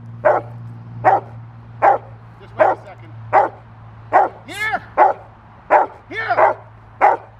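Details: Retired female Rottweiler Carma, IGP2, barking at the training helper during protection play on 1 October 2023, eager for a bite on the sleeve. Steady deep barks come about every 0.8 seconds, ten in all, with a man's short words between two of them.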